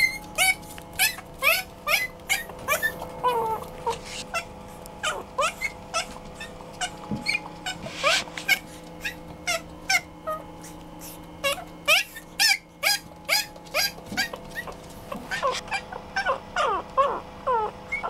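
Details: Chihuahua-Poodle mix puppy giving a long run of high-pitched whimpers and sharp squeaky yips, about two per second, irregular, over a constant low hum and occasional clicks.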